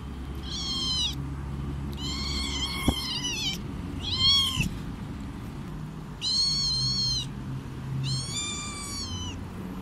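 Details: A domestic cat gives a run of bright, harmonic meows, each about half a second to a second long.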